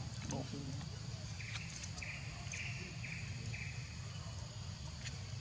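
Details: Hungry baby monkey Leo whimpering to beg milk from its mother: a series of five short, high, level whistled cries roughly half a second apart, after a brief lower squeal, with steady low background rumble.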